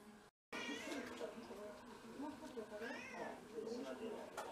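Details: House cat in a Japanese home shared by six mixed-breed cats, recorded on a day of first snow in February 2023; one drawn-out meow rises and falls around the third second, with a woman talking over much of it.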